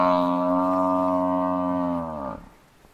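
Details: Massive African buffalo bull under attack by four male lions gives a loud, deep, drawn-out bellow, steady and strongly tonal for about two seconds, then sliding down and breaking off into quiet.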